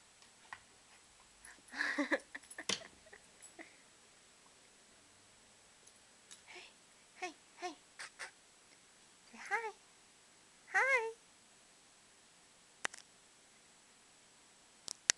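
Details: A 5-month-old male Cocker Spaniel puppy, excited while playing with his owner, gives short, high, wavering whines and yips, with a person talking softly nearby.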